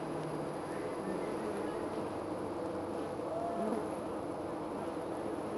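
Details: Steady droning of honey bees at a hive high in a tree beside a house, recorded from up among the bees; the even hum continues throughout with a brief higher whine near the middle.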